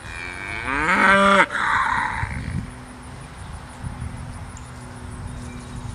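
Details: Belted Galloway cattle, a rare breed known as the Oreo cow, on Gwynnbrook Farm: one loud harmonic moo lasting about a second and a half, breaking off abruptly, then quiet farmyard background.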